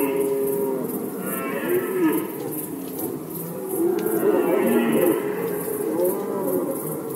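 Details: Red deer stags during the rut season in Poland, 2020: long, drawn-out, deep moaning roars overlap one another, rising and falling, with a steady fast ticking running high in the background throughout.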